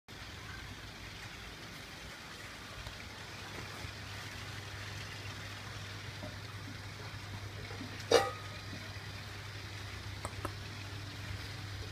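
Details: Steady low engine hum and broadband road noise throughout, with one sharp knock near the end of the second third and no animal sound.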